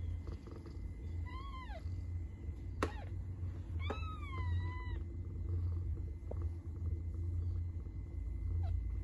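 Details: A cat gives two drawn-out, falling meows a couple of seconds apart, with a sharp click between them, over a persistent low hum.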